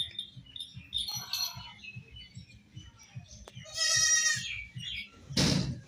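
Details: Baby goats at play, one bleating a single long, strongly quavering high cry midway, with softer short calls earlier, a steady low rhythmic thumping throughout and a sharp knock near the end.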